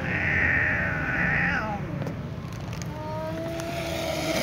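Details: Ginger cats meowing together as a new ginger cat returns beside an exhausted one lying down; a long, steady, high-pitched meow dropping away at the end, followed by fainter short mews against a low hum.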